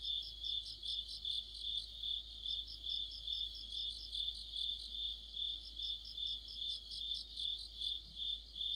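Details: Mid-autumn chorus of crickets and other insects under a streetlight: an unbroken high-pitched trill throbbing in even pulses, with a faster, higher-pitched chirping voice layered over it for most of the stretch.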